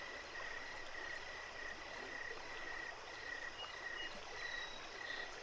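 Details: Crickets calling by a creek at night at Jacobs Creek: a repeated train of short, pure chirps, roughly two per second, against steady running-water noise.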